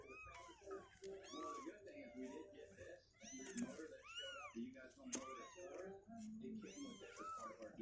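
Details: Several two-week-old kittens on day 16, healthy with legs growing stronger and unwilling to stay in their box, give repeated high arching meows, overlapping one another, over a low indoor rumble.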